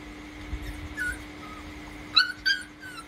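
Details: One-month-old Rottweiler puppies, two males play-fighting indoors; brief high squeals and yelps, a sharp cluster near the end, over a steady electrical hum and a faint tone.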